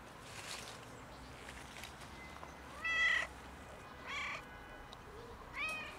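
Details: Freezing cat outside in winter, struggling for warmth, repeats short meows, one steady and clear, then two briefer calls a little over a second apart, against low background hiss.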